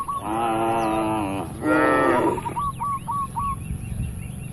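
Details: Tame cattle grazing freely on a broad green field with their herder in the countryside: two long, steady, harmonic moos, the second slightly louder, then a run of quick repeated bird chirps.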